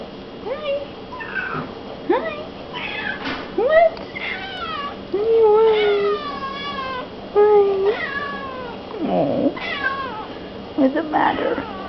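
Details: Indoor pet cat vocalizing while blocking the way as an empty milk carton is carried to recycling: a long run of varied, drawn-out meows, some rising, some wavering, roughly every second or two, with a person talking back to her.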